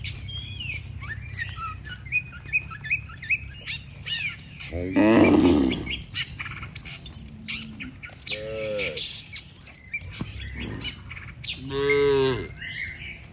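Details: Tame cattle, dozens strong, heading home to the barn together after grazing all day; one loud, resonant moo followed by two shorter lowing calls, over a steady background of chattering, chirping birds.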